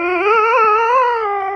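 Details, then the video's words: Steven, a rescue dog, sings indoors in a small room: a sustained, wavering howl with rich harmonics, held steady for over a second with slight rises and falls in pitch. "Rescue Dog 'Steven' Sings Like a Pro"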